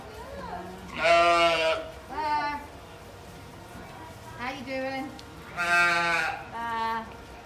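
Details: A lamb calls baa in repeated bleats: a strong one followed by a shorter, weaker one, then the pair again. Faint lower calls and background noise can be heard between them.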